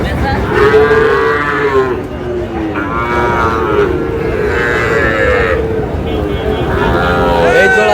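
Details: Small young bull calves being bought by a farmer from Cumilla, 14 May: several loud, drawn-out, harmonic moos overlap and follow one another in quick succession, with a steady murmur of crowd noise underneath.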